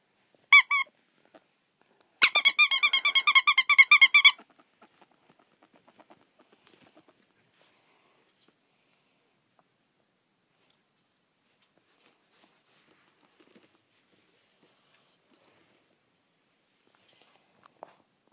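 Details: Ferret at play giving a brief squeak, then a quick run of about two seconds of rapid, repeated high harmonic squeaks, followed by near silence with faint scuffles.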